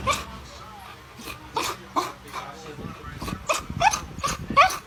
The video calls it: Chow Chow Barking Sound Effect. The Original Chow Chow Dog Barking